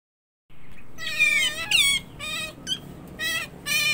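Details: Tame pet otter seen up close, its voice described as cute and very shrill: a series of high, harmonic squealing calls, some wavering and some falling in pitch, in short bursts after a brief silence.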